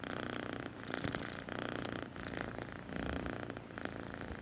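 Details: Close, loud purr of the kitten Melissa, rhythmic rumbling bursts rising and falling roughly every second as she breathes in and out.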